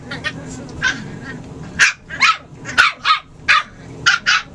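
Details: Playing puppy yips, starting faint and scattered, then turning into loud, sharp, high barks spaced roughly half a second apart over a low background hum.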